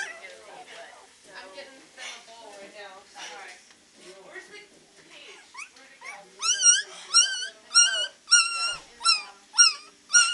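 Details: Beagle puppies, three weeks old, at the Maryland SPCA practicing early howls: soft muddled whimpers and voices at first, then loud, regular, high-pitched wavering cries about twice a second.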